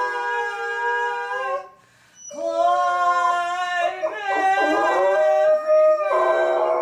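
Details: Golden retriever howling along as its owner sings "Climb Every Mountain": long, sustained, tuneful howled notes, a brief pause, then a wavering howl that overlaps with a second voice.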